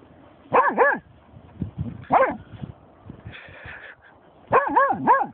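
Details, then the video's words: A German Shorthaired Pointer called Snoop barks at a dead seagull: quick doubled yipping barks with wavering pitch, a pause with a brief noisy sound, then another wavering pair. "funny/mad GSP german shorthaired pointer"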